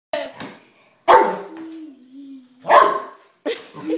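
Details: Greater Swiss Mountain Dog reacting to a remote control car, treated as a threat to the home: deep loud barks at irregular intervals, one drawn-out lower whine-like tone between them.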